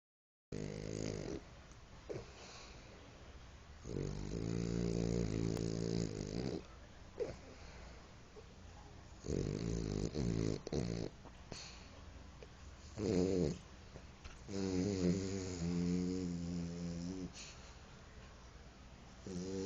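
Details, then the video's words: Pipoca, a French Bulldog, snoring while asleep: low, rattling, buzzy snores come in bursts every few seconds, some with a nasal, whistling rasp, over a quiet indoor background. "Bulldog francês: Pipoca roncando"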